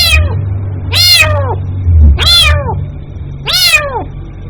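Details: A kitten cries out for its mother with four strong meows, each starting high and dropping downward, roughly one per second, with a low rumbling hum beneath.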